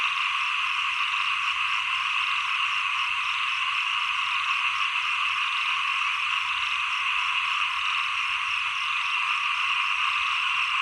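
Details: Frogs calling in a dense, ceaseless chorus at the end of the rainy season heading into the cold season; rapid trilled, rattling croaks overlap evenly throughout with no pause.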